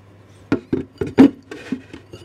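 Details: Cat eating dry kibble, close up: a handful of crisp, dry crunches spaced unevenly over about two seconds, with a faint low hum in the room.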